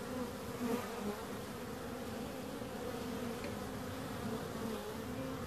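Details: Bees buzzing continuously, an unbroken two-toned hum that rises briefly early on as one flies close, then settles into an even drone.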